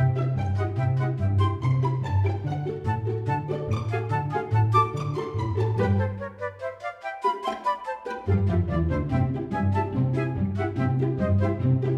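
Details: Upbeat instrumental music with flute-like melody, plucked and bowed strings and a steady low bass pulse, briefly thinning out near the middle, with no animal voices.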